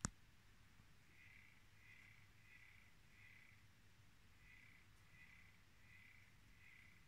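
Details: An aquarium frog singing: a soft series of eight short, buzzy, evenly spaced notes, roughly one every two-thirds of a second, with a brief pause midway. A faint low hum runs throughout, and a click sounds at the start.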